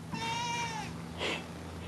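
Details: Indoor pet cat producing one smooth, slightly falling meow of under a second, followed by a brief breathy sound, with a low steady hum underneath.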